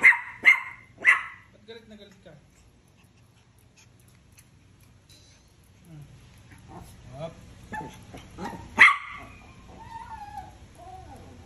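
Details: Deer head chihuahuas at 4:30 in the morning: three quick shrill barks open, then quiet, followed by softer whiny yips and one more sharp bark, with low steady hum behind.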